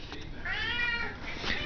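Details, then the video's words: Two meows from a domestic cat wanting to be fed: a longer, even-pitched cry, then a short, sharper one after a brief pause, over low indoor noise. "Tubby Cat wants Dinner, Hear me ROAR!!"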